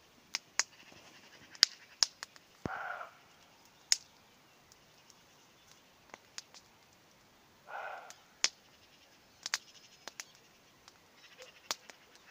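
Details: Distant roe deer heard on an evening while hawthorn blooms and the first campfire of the year burns: two rough, throaty barks about five seconds apart, with frequent sharp snaps of crackling fire throughout.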